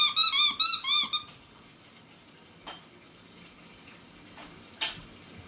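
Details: Chihuahua puppy making a quick string of high, wavering squeaky whines indoors, followed by a quiet stretch with faint room hiss and a couple of sharp clicks.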